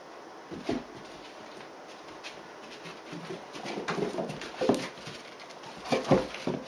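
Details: Dobermann puppy, 76 days old, playing indoors with an older female Dobermann on 5 August 2016 at 15:50, biting and jumping at her; short whiny yelps and grumbles come in bursts, clustering toward the end.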